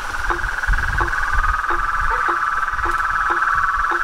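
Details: At nightfall by a pond in front of a porch, toads, frogs and treefrogs keep up a continuous trilling drone with evenly spaced short falling notes, over a low rumbling background.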